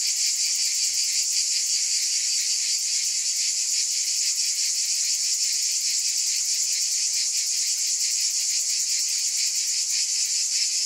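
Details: Cicadas in a long continuous chorus: a dense, steady high-pitched buzz with a fine rapid shimmer, unbroken and even in loudness throughout, with no other animals, voices or music.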